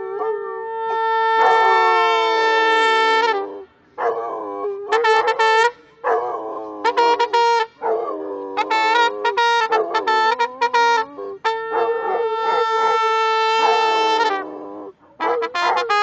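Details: Rhodesian Ridgeback named Obi One in Bogota, howling along with a trumpet; long wavering howls and sustained brass tones overlap, with repeated short trumpet bursts between longer held notes.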